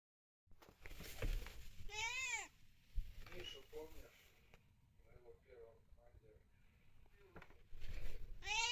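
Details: Domestic cat at play, giving a few rising-falling harmonic meows near two seconds and again at the end, with softer chirps and trills between and human speech and handling noises throughout.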